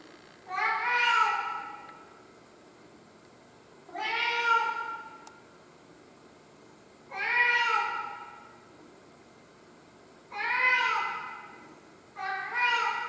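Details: Domestic cat crying: drawn-out, mournful meows with a rising-then-falling tone, five calls spaced about every three seconds, each lasting around a second, with quiet pauses between.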